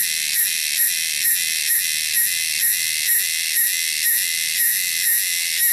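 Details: Wild cicadas in the wilderness fill the air with a loud, shrill, steady, high-pitched buzz that pulses about twice a second.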